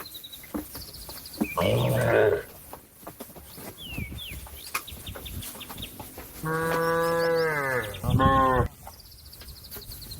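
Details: Cow calling a companion that is out grazing to come back home to the shed: a short harmonic moo, then a long, steady, loud moo lasting about two seconds, with bird chirps and rustling around.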